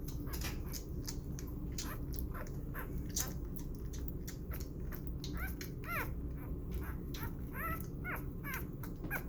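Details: Six-day-old puppy named Burro, bottle fed and burped indoors, gives scattered short high squeaks, a few rising-falling in pitch, among steady sucking clicks and low room hum.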